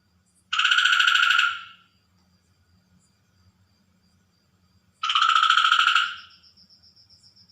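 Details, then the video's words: Frog calling at night near water: two long buzzy, harshly pulsed croaks about a second each, spaced several seconds apart, with a faint low hum underneath. "Frog Night Sound effects / Record Natural frog at Night / Water frog sound effect at Night"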